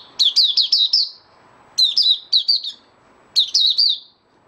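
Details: Caged white-eye (mata puteh) singing its opening song, recorded 8 January 2022: three bursts of fast, high, sweet chirping notes, each burst of four or five slurred notes, with soft background noise between.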